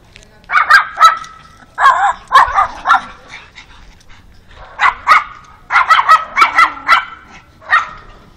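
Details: A pug barks while meeting a new dog friend, giving sharp high yapping barks in quick bursts of two to four, with short pauses between groups and faint voices in the background.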